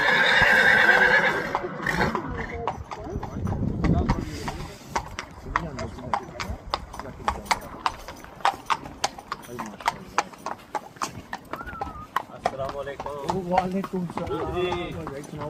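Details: Horse. A horse opens with a loud, high, quavering whinny that breaks into a rough shudder. Rapid clip-clopping hoofbeats follow, and a human voice is heard near the end.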